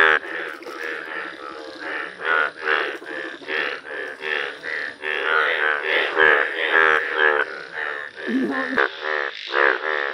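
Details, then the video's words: Chorus of Indian bullfrogs, shown as yellow-coloured frogs in the wild, giving rapid rasping croaks that overlap into a near-continuous throbbing din, individual calls swelling and fading roughly twice each second. "Wonderful Indian Bullfrog Video | Frog Sounds"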